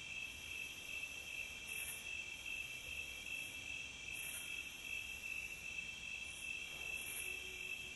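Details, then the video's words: Crickets calling in a nature recording: an unbroken high rapid chirping, evenly pulsed and loud, with occasional short hissing flares and a faint low hum beneath. "Calm Cricket Sound"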